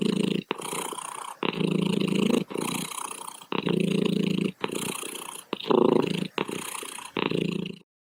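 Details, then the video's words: Purring cat heard up close, a throaty buzzing rumble in uneven bursts tied to breathing, each surge lasting about a second, the last one trailing off into silence. "Cat Purring"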